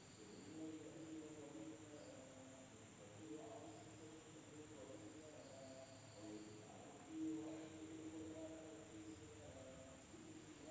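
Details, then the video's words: Nighttime insect chorus in an Indonesian village, with a constant piercing high drone and occasional brief buzzy phrases beneath it, plus a soft low rumble and faint murmuring sounds. "the sound of insects at night in the village of Indonesia SUARA SERANGGA MALAM HARI"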